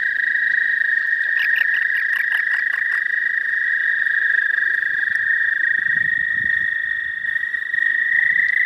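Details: Spring chorus in the southern half of Missouri, suspected to be American toad: an unbroken high trill runs throughout, while a separate caller adds a short burst of rapid, evenly spaced pulses early on.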